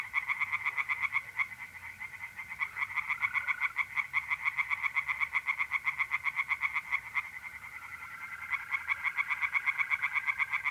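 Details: Night chorus of tree frogs in a pond, north-eastern Italy, mid-April: dense, fast, rattling pulses about four per second from overlapping callers, over a continuous thin trilling of mole crickets.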